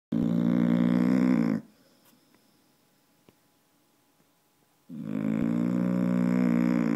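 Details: Dog snoring loudly indoors, a harsh, buzzy, chainsaw-like rumble with rapid pulsing. One long snoring breath lasts about one and a half seconds, followed by three seconds of near silence, then a second drawn-out snore. A person remarks afterward.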